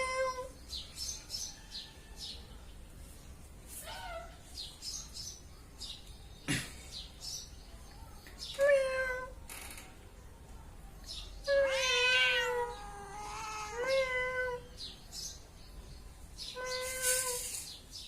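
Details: Domestic cat meowing repeatedly, a series of harmonic meows, some rising then falling, with a cluster of quick overlapping cries midway, interspersed with clicks, rustling and soft handling noises indoors.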